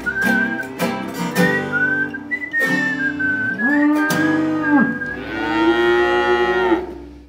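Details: Cows mooing at a farm visited by a community group; a steady high whistled tone runs through the opening seconds, then two loud drawn-out moos, the second long and rich, ending with a falloff.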